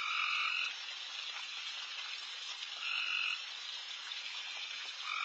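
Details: A dense, very loud late-night chorus of frogs fills a backyard while deer feed, with louder two-toned calls rising above it every few seconds.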